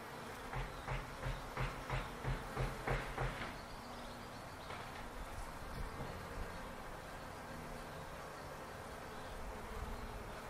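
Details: Bees in a palo verde tree in a backyard; a run of short, evenly spaced buzzy pulses for about three seconds, then a steady low hum under a soft noisy background.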